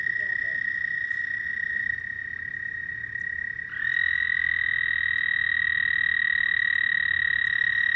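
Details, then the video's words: Night-time frog calling: a steady high trill, then a second, louder trill starts at about four seconds and continues unbroken to the end. "Frog night sounds"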